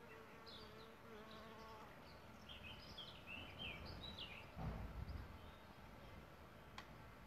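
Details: Solitary bees nesting in a bug hotel: a steady, droning buzz holds for about two seconds at the start, while wild birds chirp and twitter brightly overhead throughout and a dull knock sounds near the end.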